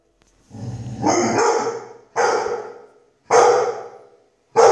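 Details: Dog described as a so-called fighting dog, one of Germany's listed breeds, giving drawn-out, harsh barks, each swelling and then fading, about four in under five seconds with short silent gaps between.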